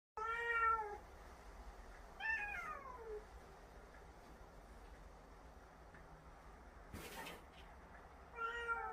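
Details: Domestic cat scolding another cat indoors while the other answers back: three drawn-out, harmonic meows that slide downward in pitch, one at the start, one mid-clip and a shorter one at the end, with a brief sharp rustle between them.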